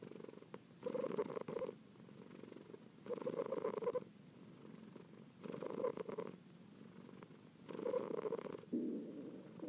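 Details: Rhythmic purr of a kitten, low buzzing rumbles alternating between inhale and exhale about every two seconds, close and even.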